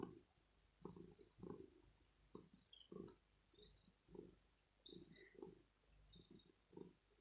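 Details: Male kitten at home in the early morning, seeking cuddles and petting and possibly food. Low pulsing rumble repeats about every half second to second, over a quiet background with faint high-pitched chirps.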